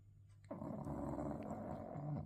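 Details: Sleeping English bulldog giving one loud, rasping, rattling snore of about two seconds after a brief quiet start, with a steady low hum behind.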